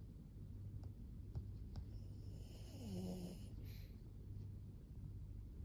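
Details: Maria, a fourteen-year-old fawn female senior pug kept as a pet in Japan, filmed in September 2024; low, rough snoring breaths, with a short soft whine-like tone near the middle, over a steady low hum.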